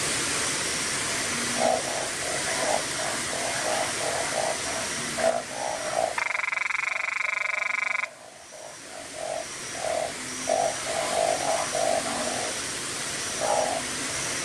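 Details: Close-up of a small but loud narrow-mouthed frog inflating itself, filmed on a Nikon camera. A single rasping, rapidly pulsed call of about two seconds rises above a background chorus of short, repeated frog notes.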